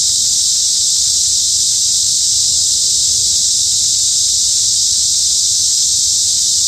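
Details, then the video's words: Cicadas in a midsummer forest at Hanbat Arboretum in Daejeon, South Korea: a dense, steady high-pitched hiss that holds without a break, with no other clear sounds. "한여름 숲속 매미소리"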